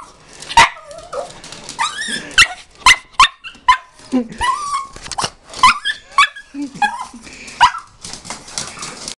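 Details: Pet dog greeting its owner coming home after a short absence. Sharp yips and short barks with whining slides between them, irregular bursts throughout, some human voice underneath.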